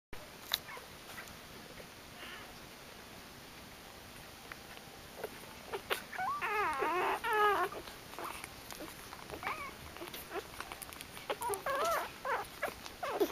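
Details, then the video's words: Newborn puppies from a litter of 13 (10 males, 3 females) born this morning to the mother dog Kitty, giving wavering, harmonic squealing whimpers in short bursts around the middle and near the end, with soft clicks and rustling indoors. "Kitty's Puppy's"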